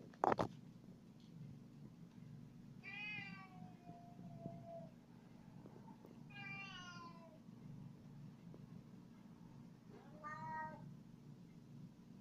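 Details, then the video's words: A male house cat meows while following its owner around indoors: three drawn-out, falling meows spaced about three to four seconds apart over a steady low hum, with a sharp knock at the start. "Cat wants to follow me around"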